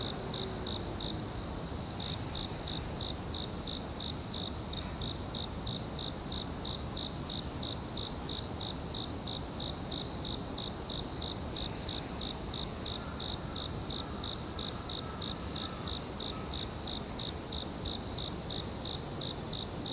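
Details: Crickets chirping in a forest at night-style ambience: a steady band of rapid pulsed chirps, about three per second, with a continuous high whine above and broad low rumbling noise beneath.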